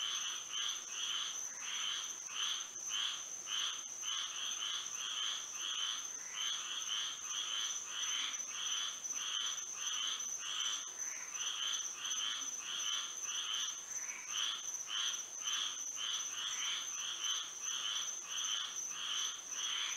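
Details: Moonlit Florida night with many frogs singing together: dense, uneven bursts of buzzy croaks from several overlapping callers, rhythm shifting and thickening at times, against a continuous shrill insect tone.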